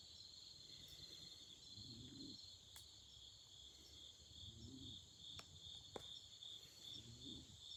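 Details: Autumn insects at night beside a campfire: a steady high shrill chorus of chirping over soft crackling of the fire and low murmuring in the background.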